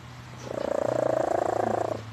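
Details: Pet cat Leah snoring in sleep: after a quiet start, a loud, rattling, fast-pulsed drone swells and runs about a second and a half before fading, over a low steady hum.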